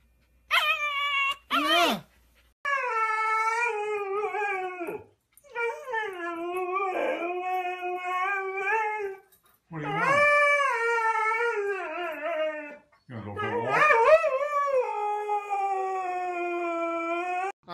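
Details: Pet dog indoors in a small room, producing long drawn-out howling whines that swoop up and down in pitch across several phrases separated by short pauses, with a brief sharp yelp near the start and a person's voice at times.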